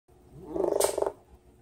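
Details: Pet dog chattering his teeth when excited, said to sound like a woodpecker: one rapid burst of about fifteen clicking pulses lasting half a second, rising then fading, in a quiet room.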